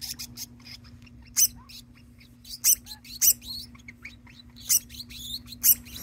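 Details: Pet degu in a home calling over and over, not singing; a second degu begins calling along with it. Sharp, high chirps come in bursts roughly every second, mixed with faint squeaky rising notes over a steady low hum.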